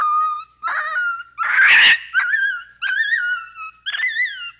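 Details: Capuchin monkey giving a run of clear, rising whistled calls with strong overtones, each about half a second long, broken once by a short harsh, noisy screech; no other sounds.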